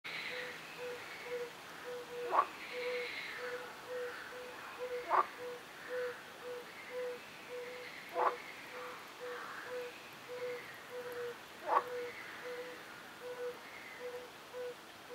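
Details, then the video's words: A fire-bellied toad sings soft, low, hollow 'oop' notes repeated steadily about once every second. "chant crapaud sonneur"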